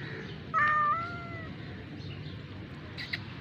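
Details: Rescued kitten giving a single clear meow, slightly falling and held for about a second, over a low steady background hum.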